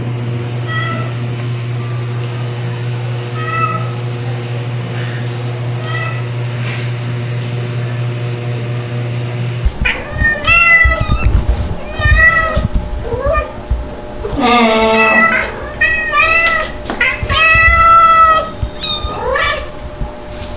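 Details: Stuart, a two-month-old white kitten, cries among two nursing mother cats, Mel the calico and Pepper. Faint meows over a steady low hum give way to a busier stretch of repeated high, arching meows and clattering movement.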